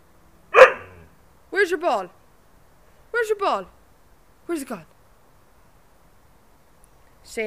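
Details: A female Siberian husky 'talks' in short, wavering, howl-like woos that rise and fall, several in a row, while her owner asks whether she is bored.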